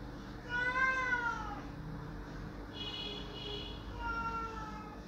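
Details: Domestic cat crying loudly to have a door opened: a long, drawn-out meow that slides downward, a fainter, higher steady tone in the middle, then a second falling meow near the end, over a low indoor hum.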